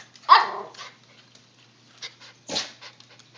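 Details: Two short barks from a puppy: a loud, sharp one at the start, a quieter rougher one about two seconds later, with faint rustling and a steady low hum between.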